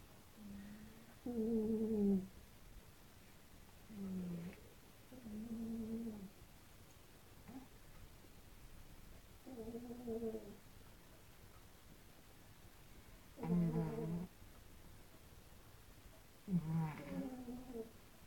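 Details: Cats snoring against each other in their sleep. Six whistling, harmonic snoring breaths recur steadily about every two to three seconds over a faint background hiss.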